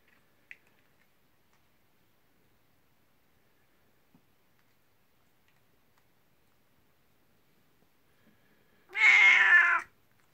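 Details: Nineteen-year-old elderly pet cat named Kuku, calling its owner at bedtime from the next room and coming out to welcome her; a single loud harmonic meow of about one second near the end, after near silence with faint clicks, indoors.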